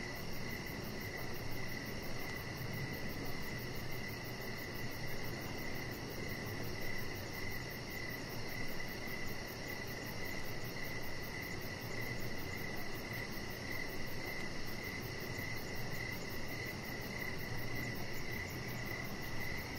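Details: Crickets calling outside in the evening near a deck lit with decorations, a pet chihuahua lying by; evenly spaced buzzy chirps run continuously, joined by a very high fine pulsing and a broad low hum.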